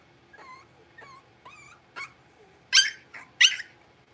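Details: Six-week-old blenheim Cavalier King Charles Spaniel puppies, a litter of five born on New Year's, in an indoor home puppy pen. Thin high whimpers with rising, wavering tones come about every half second, then two louder, sharper yips close the sequence.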